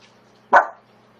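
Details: Single sharp bark from a pet corgi indoors, a male that does not like the tortoise in the house; one short loud burst rising quickly and fading within a quarter second, otherwise quiet room hum.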